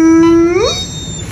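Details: Bernese mountain dog screaming at its owner as a morning greeting indoors: a loud, steady, tonal howl that holds level then bends upward and fades into a brief whine, with the owner's voice right after.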